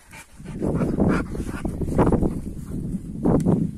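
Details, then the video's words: AmStaff and Kuvasz dogs playing rough, loud low growling and snarling in surges, rising and falling over a few seconds with a sharp burst near the end. "AmStaff VS Kuvasz 8 Minutes Of Rough Playing"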